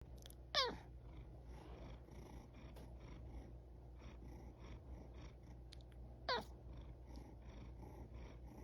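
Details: Domestic cat yawning, making two short squeaky vocal sweeps that slide steeply downward, one near the start and another about six seconds later, with a steady low hum between them in a quiet indoor setting.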